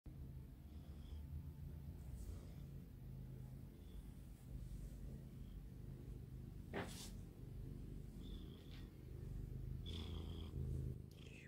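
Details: A small pet cat, a longhaired tabby female, purring while relaxed; steady low rumbling throb fills the clip, with a few brief clicks and faint high tones at intervals.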